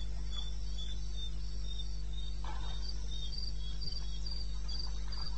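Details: Crickets in the wilderness of eastern Botswana at night, recorded 21 May at 2:30 am: short high chirps pulsing in a fast, fairly steady rhythm, weaker early and clearer in the second half, over a constant low hum.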